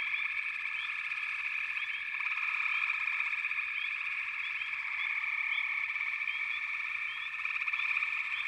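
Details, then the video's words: Many frogs calling together in a continuous shrill buzzing chorus, with scattered short upward chirps over an even background hum. "Frog Chorus"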